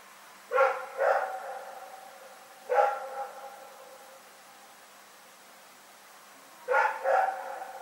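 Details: Dog named Rex barking in the night, recorded February 27, 2018: harmonic barks in a double bark, a single bark, then another double bark, separated by quiet gaps with a faint steady hum.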